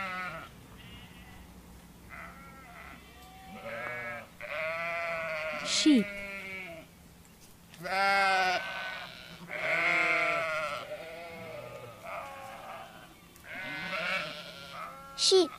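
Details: Sheep (Ovis aries), bleat.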